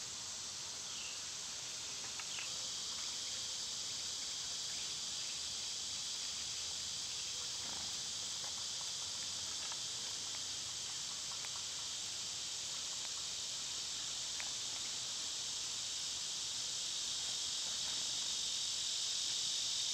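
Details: Summer cicadas, loud at this time of year, fill the air with a steady, high-pitched hissing drone that holds unbroken for twenty seconds, with a few faint clicks and chirps scattered beneath.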